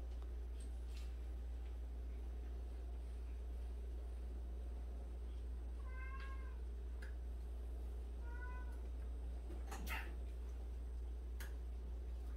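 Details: Indoor cat among 76 rescued street and abandoned cats; two clear, tonal meows a couple of seconds apart, each briefly bending in pitch, with soft knocks and a constant low hum in the room.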